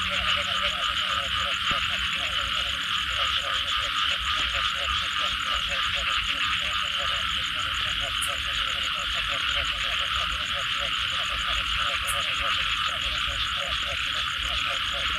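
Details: Frogs calling after rain in a dense nighttime chorus: rapid pulsed croaks repeating around 500–800 range beneath a constant high insect-like drone, with steady background rain-soaked ambience.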